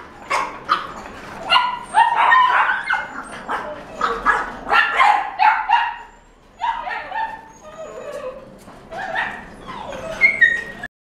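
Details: Young cream female French Bulldog, born June 2018, in a pet shop: rapid strings of high yips and barks, some with a whining edge, tumbling together for several seconds before a short lull and a final flurry.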